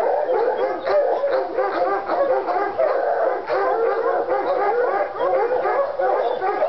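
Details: Two Treeing Walker Coonhounds, Lady and Cooper, in North Carolina, fired up on a coon skin; continuous overlapping bawling howls and barks with harmonic bands, densely layered throughout with no pauses.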